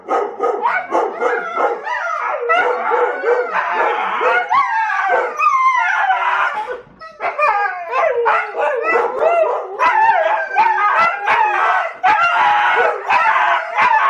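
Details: Husky dogs wrestling playfully, their mock fight full of loud, continuous yowling, rising and falling howl-like whines and talky grumbles, barely pausing for over fourteen seconds.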